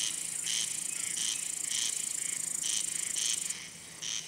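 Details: Calling male cricket, wings rubbed together to attract or court females or scare rivals; rapid series of bright chirps about every half second, layered over a steady high-pitched hiss of other insects.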